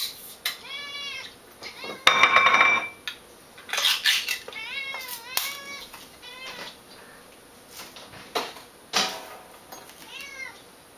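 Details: Female cat Eevee reacting to wet cat food, a morning ritual: a run of rising-and-falling whiny meows, several in quick succession, mixed with clattering dishes and cutlery and a loud metallic scrape near the middle.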